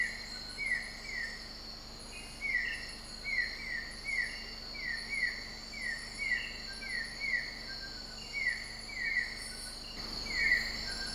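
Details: Limnonectes conspicillatus, the broad-headed frog of Sabah, Borneo, Malaysia, calling steadily: quick descending chirps, often doubled, about two per second for eleven seconds, set against constant high-pitched insect trills, with a brief rustle near the end.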